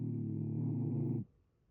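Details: Shiba Inu with a blocked nose, snoring while asleep: one low, droning, buzzy snore held for about a second before cutting off into near silence.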